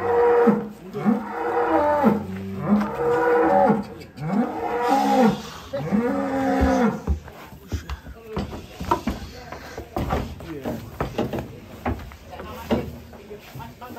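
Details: Big kurban cow loaded onto a truck in Indonesia in 2022 gives several deep, arching moos that rise and fall over the first seven seconds, then fades under chatter and background music.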